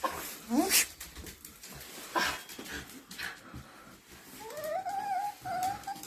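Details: Shiba Inu greeting its owner who has just come home, indoors; high, rising whines early on, then a longer wavering whine near the end, with a person's soft murmured replies between.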